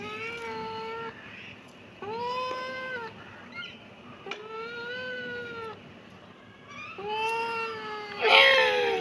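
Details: A kitten gives four clear meows, each about a second long, with a slightly arched, steady pitch. The calls come at roughly two-second intervals, and the last one ends in a harsher, louder squeal.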